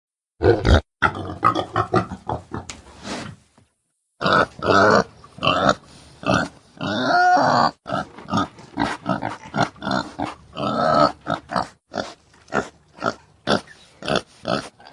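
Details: Domestic boar, the male pig, giving deep, strong grunts that are used to mark territory or attract females in heat; rapid series of short, rough grunts, a brief silence near four seconds, then a longer drawn grunt midway.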